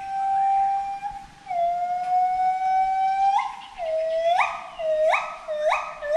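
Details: Forest monkey calling: long pure sustained whistled notes that step down then jump upward, ending in a run of short rising whoops repeated about every half second.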